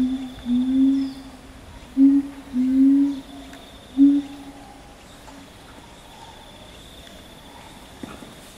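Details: Chimpanzees of the Ryu family troop, with boss Ryu and twin girls: a run of five low, steady hoots in about four seconds, then quiet with a faint steady hum.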